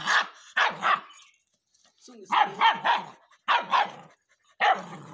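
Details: Rottweiler puppy barking on command to speak: sharp, rough barks, mostly in quick pairs, in about five bursts separated by short pauses over five seconds.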